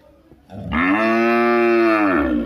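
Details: A cow (Bos taurus) gives a single long, steady moo rich in harmonics.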